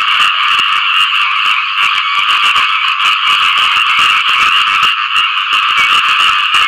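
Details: After rainfall, frogs fill the air with an unbroken mating chorus: thick, rasping croaks stacked on top of one another, pulsing quickly and evenly from start to finish.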